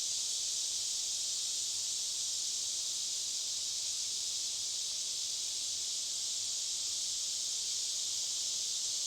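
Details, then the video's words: A cicada chorus deep in the forest, several miles from the trailhead: an unbroken, high, hissing drone holding steady from start to finish. "The Sounds of Cicadas Deep Within the Forest"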